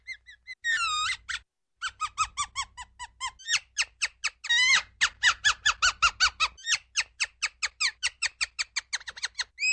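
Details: High, shrill squeaks from a ground squirrel, opening with a few soft notes and a long quavering whistle, then settling into a steady, fast train of sharp falling chirps.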